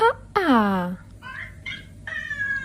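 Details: Domestic cat from a funny-cats compilation: a brief high note, then one loud meow sliding down in pitch over about half a second. Softer drawn-out tonal sounds follow, over a low steady hum.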